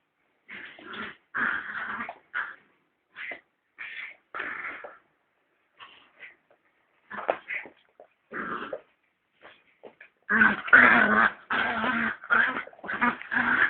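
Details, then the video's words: Puppies play fighting, one noted as the noisy one: bursts of growling and yipping in short clusters with pauses, turning into a louder, denser run of overlapping growls and yelps near the end. "Puppy Fight"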